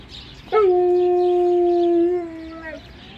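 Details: Alaskan Malamute vocally nudging while getting ready for its first car ride of the year: one loud, steady, drawn-out howl of about two seconds, held on a flat tone then dropping briefly, followed by a person speaking.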